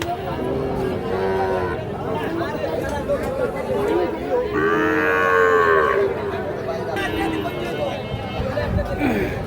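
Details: Sahiwal bull calves at Ambari cattle market, Parbatipur, Dinajpur, Bangladesh, on 8/6/26, bought by Comilla farmers. Several lowing calls, one long arching moo rising then falling, over constant crowd chatter and shouted bargaining.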